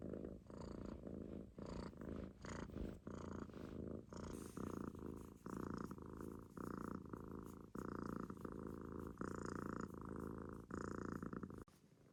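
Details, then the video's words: Munchkin kitten sleeping relaxed in a loaf on its owner's stomach, snoring in soft rumbling breaths that pulse roughly every half second to second, steady and rhythmic indoors. "飼い主のお腹の上でいびきをかく猫 On my stomach Kitten relaxed snoring"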